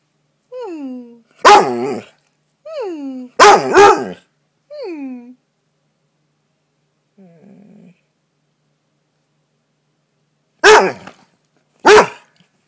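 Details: Pet dog that has just climbed out from under a comforter: sliding, falling whines mixed with loud sharp barks, a short quiet gap, then two more isolated barks.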